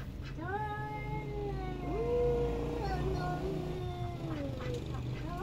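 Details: Domestic cat giving long drawn-out wavering meows, rising then holding steady and sliding down, several overlapping calls across the stretch, over a low steady background hum.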